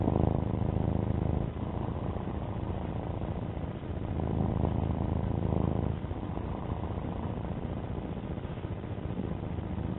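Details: Alfie, a pet domestic cat, gives an unbroken low purr, a coarse rumbling buzz that swells and eases slightly every second or two, with nothing else clearly audible.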